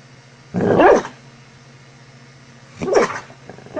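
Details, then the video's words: Sleeping dog making funny sounds in its sleep: two short, strained grumbling whimpers about two seconds apart, each rising then falling, over a steady low hum. "Sleeping Dogs snoring and makes funny sounds!"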